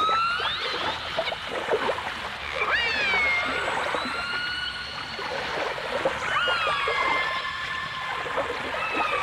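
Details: Whistling dolphins from a 1989 stereo recording that also features orcas: smooth upward-sweeping and level tonal whistles with overtones, several callers overlapping, set against continuous clicking and a hissy underwater background.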